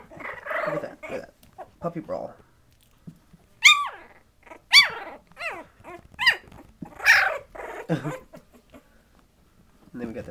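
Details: Twenty-day-old Patterdale Terrier puppies playing roughly with each other; after a stretch of human talk, sharp high yelps burst out about once a second, each a quick downward-sliding squeak, with quieter whimpers between.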